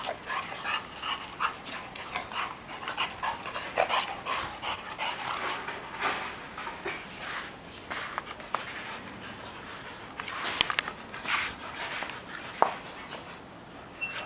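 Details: A rescued Siberian Husky, found abandoned in Chonburi, Thailand, very thin and treated for eye trouble and blood parasites, pants in quick, breathy bursts with an occasional faint whimper.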